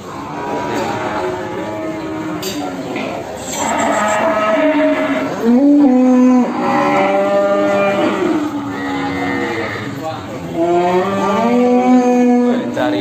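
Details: Simmental cattle, a bull offered for sale in Indonesia, giving several long, loud moos with steady tonal harmonics, some rising and falling, separated by short pauses, with faint background music.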